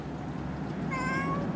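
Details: Mother Bengal cat beside her baby boy kitten gives a short, clear, slightly wavering meow late in the moment, while a woman talks softly to her over a low indoor hum.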